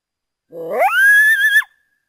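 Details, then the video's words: North American coyote giving a single howl that slides upward from a low start, then holds a steady high note for about a second before breaking off, over a silent background. "The sounds of the North American coyote"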